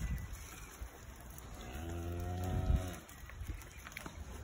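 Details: Single low, steady moo from one of several cows in the English countryside, lasting about a second, with a soft rise at the start. Quiet outdoor background, a dog nearby and a man's voice just before.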